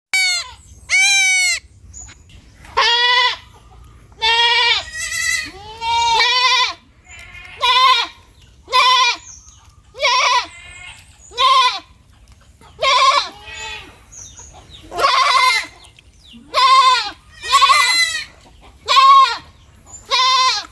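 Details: A baby goat (Capra hircus) bleats repeatedly, each cry a high, wavering, nasal note about a second long.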